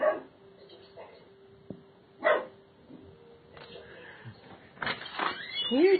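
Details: A young Doberman Pinscher gives its first short, sharp guard barks, hair standing up, spaced a couple of seconds apart, with a person talking.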